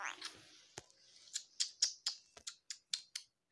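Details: Sharp dry clicks and taps in an irregular series, like scissors snipping or keys being struck, in a small quiet room with no animal voice.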